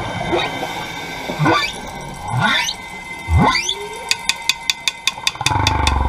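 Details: Humpback whale passing divers at the Carthaginian Shipwreck off Maui, Hawaii, recorded underwater: three low-to-high sweeping whoops rising steeply into shrill chirps, then a rapid series of sharp clicking pulses and a low rumbling background.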